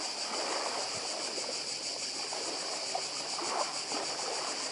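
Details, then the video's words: Cicadas on Badija island, Croatia, filling the air with a steady, shimmering high buzz that pulses rapidly without pause, while the soft wash of the sea murmurs underneath. "Cykady i szum morza w Chorwacji"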